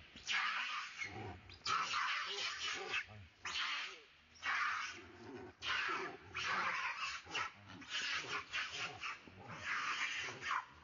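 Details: Hanuman langur monkeys scream in loud, harsh bursts as two gang up to chase a third, which cries out calling for help.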